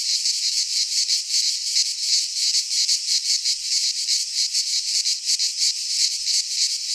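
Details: Greek cicadas singing at midsummer among pines: a continuous sizzling buzz of quick, regular throbs, loud and high-pitched, with nothing else audible.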